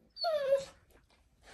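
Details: Female Pit Bull indoors crying because she wants her ball from under the bed: one clear whine, high and tonal, sliding gently downward over about half a second, then quiet.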